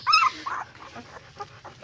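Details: German Shepherd puppies, young enough that their eyes are only beginning to open: a short, high, tonal squeal that bends downward in the first quarter second, followed by a few faint, soft whimpers.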